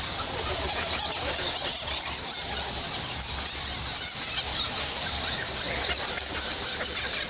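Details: Thousands of bats roosting in Goa Lawah, a Balinese temple cave, fill the air with a dense, unbroken chorus of shrill, high squeaks and chitters, steady in loudness throughout, with many overlapping callers.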